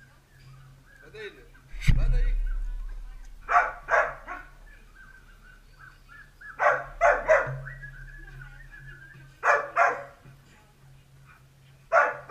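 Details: Dalmatian puppies at play give short, sharp yapping barks in uneven bursts, some close together in pairs and others spaced a few seconds apart, over a steady low hum and a sudden thump near the start.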